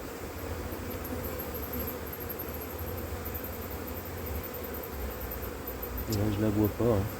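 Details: Honey bee colony that has turned drone-laying after failed first matings on splits, in cold weather in 2024: a steady low hum runs throughout, with a man's voice speaking briefly near the end.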